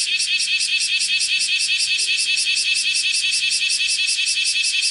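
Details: Bear cicada (Cryptotympana facialis) on a window screen, morning of 31 July 2018, one of five calling bouts; loud, rasping high pulses throbbing steadily about 2.6 times per second for the whole clip.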